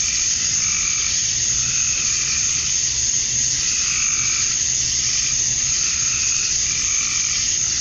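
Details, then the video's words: A continuous wall of high, sizzling buzz from male cicadas at dusk on a Georgia summer night, calling for females; gentle lower pulses rise and fall at intervals, and a faint low hum sits underneath. "Cicadas at Dusk, Summer Night"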